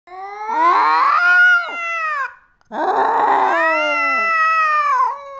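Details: Master Meow, a cat involved in fights, lets out two long, drawn-out yowling wails. Each starts rough and growly, then turns into a wavering, nasal howl that slowly falls in pitch. The wails are split by a brief silence, and no other sounds are heard.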